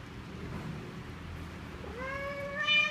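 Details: Mother cat nursing her five kittens, making strange sounds as she talks with them while feeding and protecting them; a single drawn-out meow rising sharply, then holding a steady, clear tone that strengthens near the end, over a low background hum.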